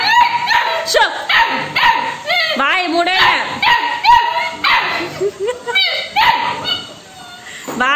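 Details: Female Labrador Retriever puppy begging its owner for food, uttering quick strings of high whining yelps and squeaky cries with rising and falling tones, while a woman's voice talks over parts of the calls.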